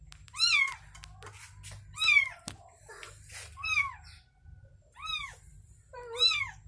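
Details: Newborn kitten's mother repeats arched, tonal meows about every second and a half, six calls in all, over a constant low background hum and occasional clicks.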